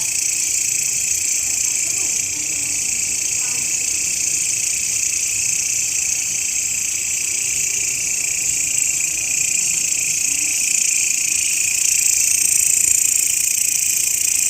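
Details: Grasshopper sound used as master audio for training songbirds, popular among Indonesian bird-song fans: continuous shrill high buzzing that holds steady for the whole stretch and swells slightly louder toward the end.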